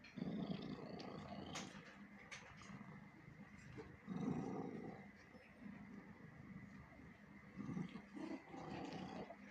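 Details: Domestic cat giving three low, rough growling bursts near the start, middle and end, each lasting under a second and separated by several seconds of steady background hum.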